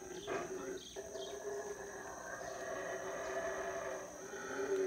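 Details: Howler monkeys beginning their usual morning routine in the Belize jungle at Howler Monkey Resort on a rainy morning: a rough, roaring howl in broad raspy bands, starting and stopping, then a steadier drawn-out drone.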